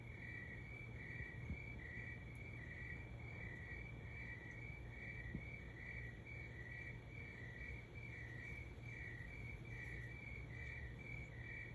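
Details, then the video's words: Crickets at 3 am giving a steady run of brief chirps, higher and lower chirps trading off in a regular beat, with a droning low hum throughout. "Cricket Sounds at 3 am"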